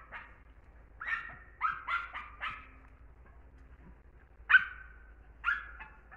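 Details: German Hunting Terrier uttering scattered sharp, high-pitched yelps in short bursts, separated by quiet gaps, with one longer, louder yelp trailing off near the end.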